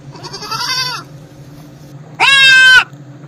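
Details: Baby goat bleating: a soft, wavering bleat, then after a pause a louder, high, nasal bleat lasting about half a second, over a low steady hum.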